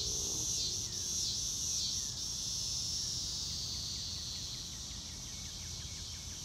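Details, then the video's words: Crickets fill a sunny blue-sky day with a continuous high-pitched, fast-pulsing trill, and no music is added. Soft bird chirps appear briefly near the end and a low rumble sits underneath. "Nature Sounds - Real Time - No Music - Meditation - Crickets"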